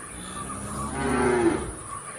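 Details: Single brief, muffled cow moo swelling and fading in about a second, partly masked by steady background hum and a thin high-pitched whine.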